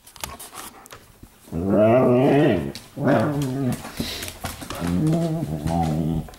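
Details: Indoor night-time play between pet dogs in a living room, 15 May 2014: low, rumbling, harmonic growls in three bouts, each about a second long, with soft scuffling between them.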